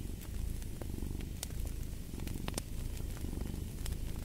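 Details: Domestic cat purring steadily, a dense low rumbling drone with fine rapid pulses, while sharp pops and snaps of a crackling fireplace break through above it.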